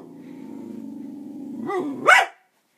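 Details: Sid, a pet dog, reacting to a toy dog: a long low rumbling growl building over nearly two seconds, breaking into a rising yelp and one sharp loud bark at the end.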